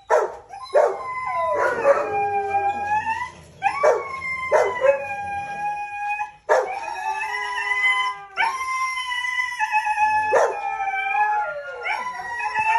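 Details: Red-brown Siberian Husky during breeding, giving a series of drawn-out howls with strong harmonics, each starting with a sharp onset then gliding slightly up or down, several separate howls across the recording.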